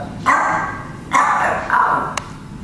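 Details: Black Chihuahua barking toward a camera, giving three quick high-pitched yaps within about two seconds, each bark bright and slightly tonal, followed by a faint click.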